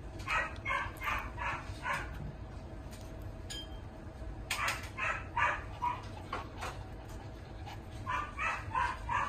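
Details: A male Maltese × Yorkshire Terrier mix with a steel-blue-and-tan coat, born 4 March 2023, gives bursts of high, sharp yips and short barks in quick runs.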